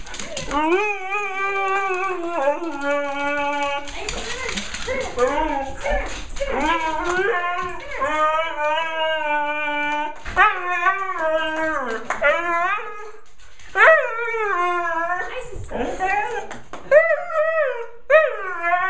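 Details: A female Siberian Husky pours out rising and falling woo-woo sounds and yodels, wavering like speech and breaking into short yelps, an excited greeting as owners return from vacation and egg her on; a person's voice is briefly heard.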